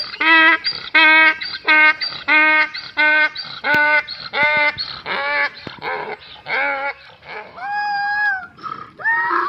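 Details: Donkey (Equus asinus), bray.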